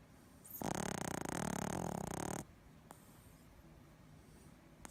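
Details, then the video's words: Boston Terrier snoring while asleep and twitching, indoors: one long, harsh, rattling snore lasting nearly two seconds, followed by quiet breathing and a couple of faint clicks. "Boston Terrier Freaky Snoring And Twitching Compilation"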